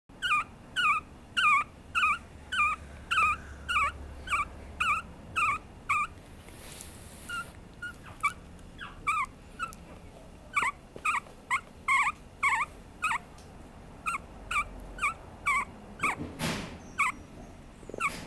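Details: Papillon puppy giving a long run of short, high, thin whimpering yips. They repeat roughly twice a second in bursts, with brief pauses and a few soft rustles in between.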